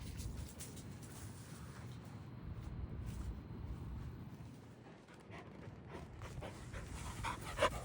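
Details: Panting from one of five large dogs (Samoyed, Newfoundland, Great Pyrenees and Samoyed × Great Pyrenees mixes) during a sports day: rapid breathy huffs, about four per second, steady and unbroken, with a soft low rumble beneath.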